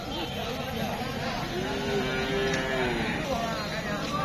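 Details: Cattle at the Amraid cattle market in Kapasia, Gazipur, held every Tuesday, where animals for Qurbani are sold in 2022; a single drawn-out, low moo swells and fades over about a second and a half amid constant crowd chatter and market bustle.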